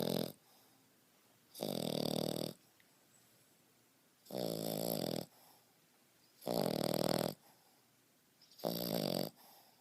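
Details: Snoring of a 5.5-month-old French Bulldog named Beau, deep as a grown man's: four loud grating snores near one second long, separated by two-second pauses of faint inhaling.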